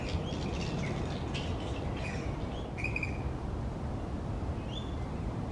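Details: Roosting colony of grey-headed flying foxes hanging in tree branches: rapid run of harsh, grating squawks early on, then a single drawn-out shriek and a faint later squeal, with heavy low background hum.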